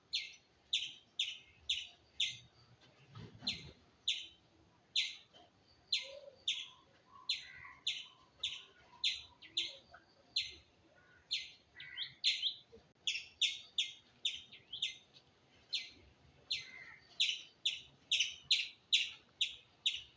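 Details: Squirrel chirping steadily and insistently, sharp high notes repeated two to three times a second for the whole stretch, with one faint low thump early on.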